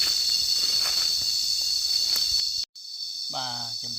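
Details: Continuous shrill, high cicada buzzing runs evenly for over two seconds, then cuts off abruptly; after a brief silence a person's voice is heard over a fainter drone.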